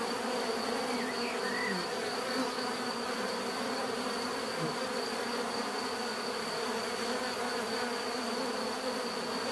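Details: Many bees buzzing in a dense, steady drone with low humming layers and a thin high whine throughout, plus a few faint chirps around two seconds.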